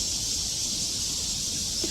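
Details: Many crickets call in the hill forest beside Treasure Hill Temple in Taipei, Taiwan. They make a steady, dense, high-pitched buzzing wash that runs unbroken throughout, with faint low rumble beneath.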